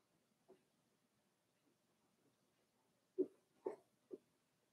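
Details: Four-week-old Cavalier King Charles Spaniel puppies of Daisy's litter in their indoor puppy pen: soft scattered squeaks, then three short, louder yelps in quick succession near the end of a quiet room.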